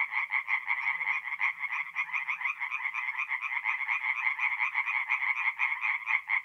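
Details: Singing tree frogs at a forest pond on an April night in north-east Italy. Loud, overlapping, raspy pulsed croaks come from several callers and form a dense, continuous chorus.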